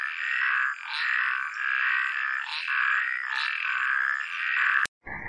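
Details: A chorus of frogs gives continuous buzzy, trilling croaks in pulsing waves about every half second. A sharp click comes near the end, followed by a short break.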